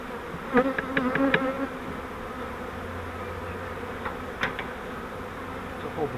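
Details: Honeybee swarm from a flowerpot bait hive, handled while frames are moved into a Langstroth hive: a background hum of bees overlaid by a series of knocking and clicking handling noises, some in quick bursts.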